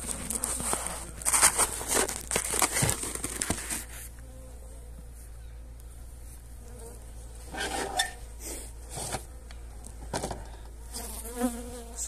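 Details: Honey bees being fed energy cakes on 29 January in very pleasant weather; low buzzing hum amid loud rustling and handling noise in the first seconds, then quieter hum with occasional knocks and crinkling.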